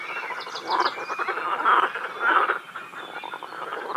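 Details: A dense chorus of frogs at a quarry lake in Feldkirch, overlapping croaks and rattling calls, steady and full throughout.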